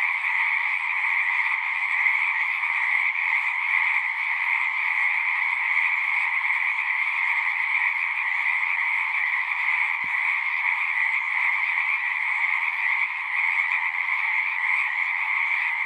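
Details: Frogs singing together at a pond in a horse pasture, captured on a Zoom 6: a dense, unbroken wall of overlapping mid- and high-pitched trills holding steady throughout, with one faint click near the middle and no other sounds.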